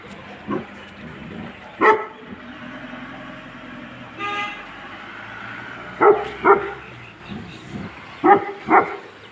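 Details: Tibetan Mastiffs, a sable and a red dog bred to guard home and livestock, bark in scattered single and paired blasts; a short honking horn sounds between barks and a low hum runs throughout.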